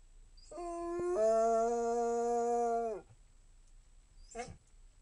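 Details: Single Basset Hound howl rising in a quick step, then held flat and clear for nearly two seconds before trailing off, followed by a brief soft whimper-like sound.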